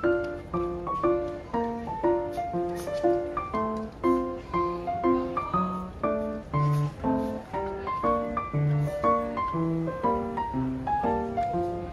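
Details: Gentle piano music plays steadily with evenly paced chords throughout, and no animal voice is heard.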